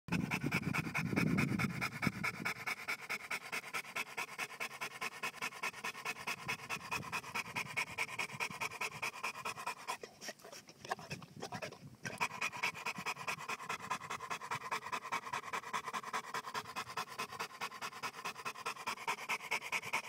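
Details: Bowzer, a Johnson American Bulldog, panting steadily in fast rhythmic breathy bursts, about two to three per second, with a short pause near the middle and a low hum beneath.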